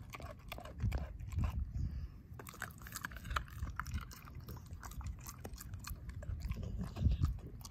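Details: Pet dog Ozzie devouring his pork steak, jaw mashing the bone to pieces; dull crunching thumps roll on continuously, peaking in heavy bites around the first and seventh seconds, with crisp tooth clicks throughout.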